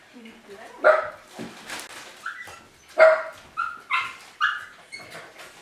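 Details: Miniature Pinscher named Ylva, alone at home outside her kennel for the first time, standing in the hall; sharp barks mixed with higher yips and short whines, loud bursts roughly every second, in a quiet indoor room.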